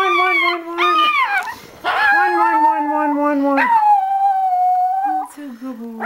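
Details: Male Chihuahua, a sock held in his mouth, howls in long wavering tones: a steady held note, a brief choked break, then a rising swoop into a drawn-out level wail that slides downward at the end, with a person's voice faintly over it.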